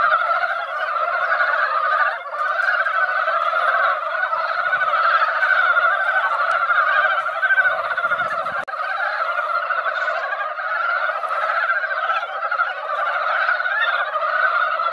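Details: Chorus of mountain frogs at a mountain-valley pond, drawn out by a light rain just dampening the soil; a steady, seething wall of overlapping raspy croaks with no pause.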